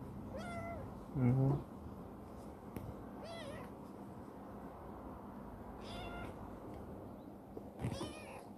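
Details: Rescued former stray black female kitten, Chibikuro, once wary but now very affectionate, living in a warehouse where she runs about daily; four short, high, rising-then-falling meows spaced a few seconds apart, with one soft thump near the start in a quiet room.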